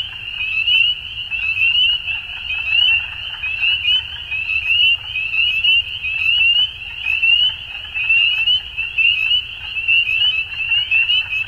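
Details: Chorus of frogs at dusk: many high, fast trills blend into a steady ringing band, swelling in bursts about once a second, over a soft low background hum.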